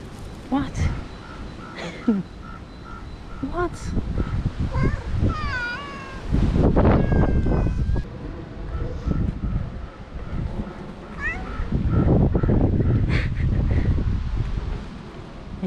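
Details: Stray park cats approaching a person petting one of them; a series of short, wavering meows with bending pitch sounds midway, interleaved with a woman talking softly to the cats and outdoor background noise.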